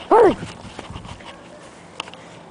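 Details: A panicking Golden Retriever gives a single short, arched whine in distress, rising then falling in pitch.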